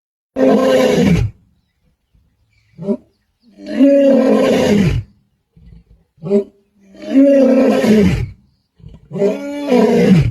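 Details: Male lion known as the Black Dam male roaring to call his brothers in Kruger National Park, South Africa, on 8 December 2025; long deep moaning roars trailed by short grunts, about four roaring bursts in ten seconds.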